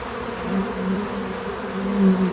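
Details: Bee buzzing at a feeder, real-time natural sound: a close, low wingbeat hum that swells and fades over two seconds, loudest near the end.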